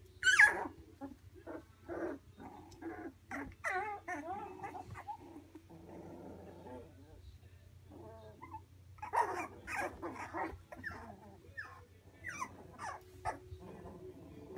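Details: Three-week-old Labradoodle puppies whimpering and squealing, several pups overlapping in bursts of high, wavering whines and short yelps, with a lull around six to nine seconds before another cluster of squeaks; a low steady hum runs underneath.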